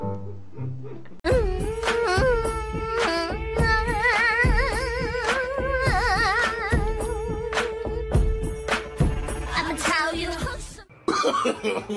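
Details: Bollywood-style song with a wavering sung melody over a held drone and percussion, starting after a short quiet opening, with no animal calls.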